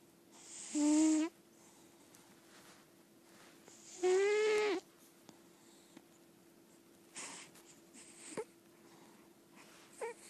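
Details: A sleeping senior female lilac point Siamese cat, an indoor cat, snores with two drawn-out, squeaky, wheezy breaths about three seconds apart.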